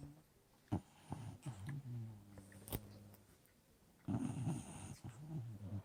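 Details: Old English Bulldog Lucy asleep: soft droning snore with a steady low tone, a few clicks, then a louder rattling snort near the end.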